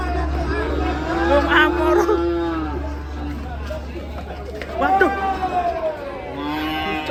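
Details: Cattle acting up while being unloaded from a truck: a long, steady, drawn-out moo lasting over two seconds, then a shorter rising moo near five seconds and another beginning at the end, over human voices and crowd chatter.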